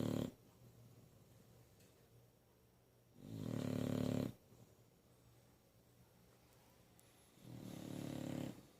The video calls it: English Bulldog snoring